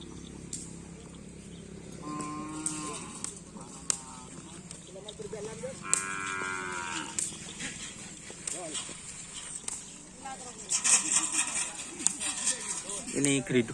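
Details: Cattle at a karapan sapi (bull racing) training session with the Kalajengking, Griduh Onggu and Baong 99 teams. Two drawn-out harmonic moos, near two and six seconds, rise over human chatter and steady outdoor background noise.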